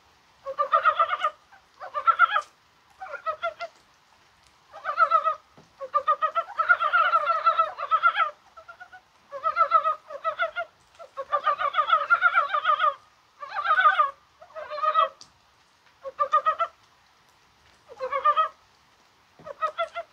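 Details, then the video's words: On a rainy, spring-like 21 January, Dybowski's brown frogs give dense, rattling clucks in close succession. Longer rolling runs alternate with brief grunts, almost without pause. "개구리가 울어요"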